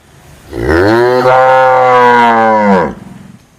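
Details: A cow gives one long, steady moo of about two and a half seconds, deep and richly harmonic, rising at the start and falling away at the end, with quiet background before and after.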